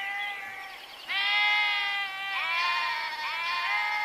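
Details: Sheep bleating: a softer opening call, then loud, sustained, wavering bleats overlapping one another to the end.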